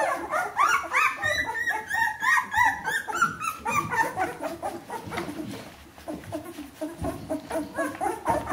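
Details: Fourteen-day-old Bernese Mountain Dog puppies, a whole litter, giving repeated rising whines and yelps in quick succession, loudest early, then fading to softer squeaks.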